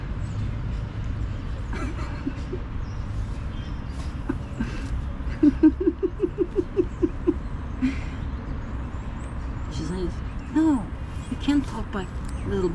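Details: Mother cat cleaning her male kitten by force while he fights back: a quick run of short, pulsed mews midway, then a couple more, over steady traffic rumble and a person talking and laughing.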